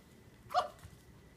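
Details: Cavalier King Charles Spaniel puppy, four weeks old, from a litter just starting to play, growling and barking; one short high yip with a bright harmonic band, quiet room tone around it.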